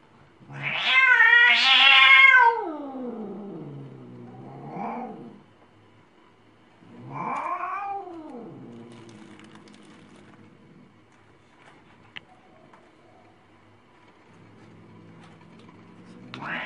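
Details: Angry cat caterwauling: a loud, strained wail swelling then sinking into a low moan, followed by a second drawn-out yowl that arches up and down, with quieter growly tails between.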